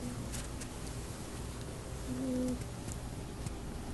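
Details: Eight-week-old Golden Retriever puppy Oshie snoring while asleep; a low breathy rumble with one brief, soft whistling tone midway through, steady and quiet throughout.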